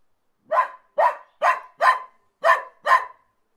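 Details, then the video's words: Dog barking: six short sharp barks in a steady series, about two per second, mid-pitched and harsh, with clean silence between them and no other sounds. "kutay ki awaz"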